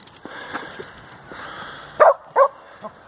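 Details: Samoyed on a halfpipe in a skateboard park in Nairn, Scotland, giving two sharp barks close together near the end, then a softer third, after a stretch of outdoor background noise and a voice.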